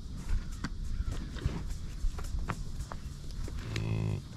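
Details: Ranch-kept American bison with a short, deep, harmonic grunt near the end, preceded by scattered clicks and thumps of movement.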